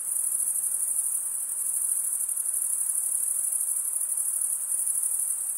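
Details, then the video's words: Crickets stridulating, males rubbing one wing's toothed vein against the other, a continuous high-pitched trilling drone with fine rapid pulses and no breaks, steady in loudness throughout, nothing else audible. "Most relaxing cricket sound"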